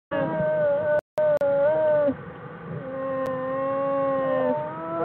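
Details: Bears in their winter den on January 16, 2013 give long, drawn-out tonal wails with steady pitch and rich overtones, almost like singing.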